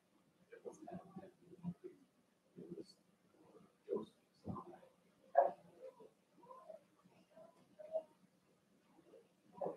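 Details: Overnight indoor puppy cam, 8/27: three Cavalier King Charles Spaniel puppies, Ruby and Blenheim coated, born 06/09/2022, give brief muffled whines and grunts in irregular bursts, one sharper squeak near the middle.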